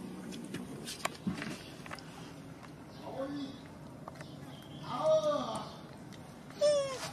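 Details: Baby macaque abandoned by its mother, crying: two loud, tonal, harmonic wails near the end, each bending upward then falling, after quieter scattered squeaks, with a steady low background hum and faint human voices.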